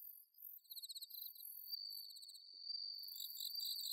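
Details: Autumn night chorus of bell crickets from paddy fields at Inba-numa in Chiba, Japan, a sustained shrill ringing tone layered with quick pulsed trills from other nearby insects, continuous throughout.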